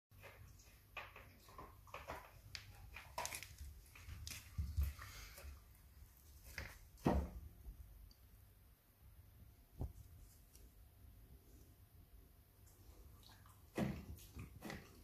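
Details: Rottweiler puppy Peach gnawing her first rib, hiding away so it stays all hers; irregular crunching clicks and wet snaps scattered throughout, with sharper bursts near the middle and end, in a quiet indoor room.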